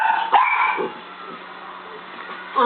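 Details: Barking at a laser pen, the dog Scarlet lets out a loud bark and a second shorter one, then quieter noises before another bark begins at the end; a faint hum persists.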